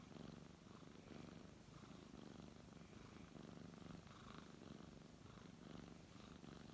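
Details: Contented brown tabby cat purring as it is stroked; deep vibrating rumble swelling and fading in regular breath cycles a little over a second apart.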